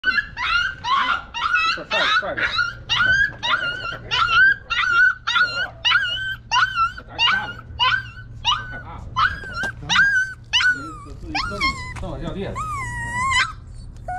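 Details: Scared puppy crying in fear and calling for its mother, who runs over to guard and then feed it; high yelping cries with a strong tonal band, repeated roughly twice a second, some rising and falling, with a man's speech in the background.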